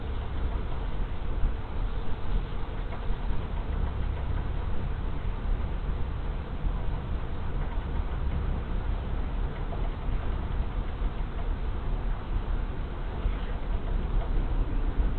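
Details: Large honey bee swarm moving into a hive on 24 March 2023: a thick, unbroken low droning hum of many bees fills the recording at an even level, with no other distinct sounds rising above it.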